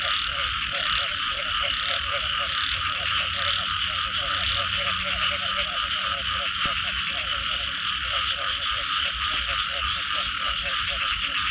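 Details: A chorus of frogs after rainfall: a dense layer of overlapping croaks, pulsed and stuttering, runs under a constant high buzzing trill. Faint low hum beneath, one short sharp click near the start.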